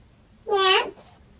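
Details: Domestic cat giving a single short meow, a clear harmonic call that rises and falls in under half a second, in a quiet indoor room.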